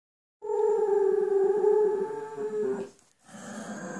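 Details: Bull Terrier named Gloria "singing": a sustained, steady howl with rich harmonics that wavers slightly, then breaks off briefly before a fainter, rougher vocal resumes indoors.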